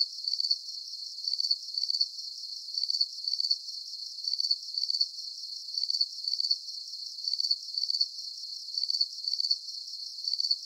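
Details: Crickets trilling in short, shrill bursts, often doubled, repeating at a fairly regular pace against a low steady background hiss.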